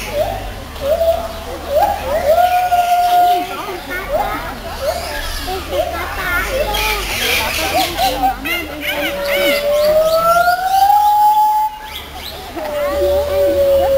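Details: White-handed gibbons singing at Zoo Schönbrunn in June 2011: long pure whistled notes sliding up and down, some rising in slow sweeps, over loud chatter of children and other visitors.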